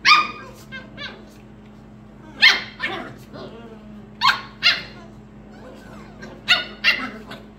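Pembroke Welsh Corgi puppies give sharp, high-pitched yips in short bursts, a few seconds apart.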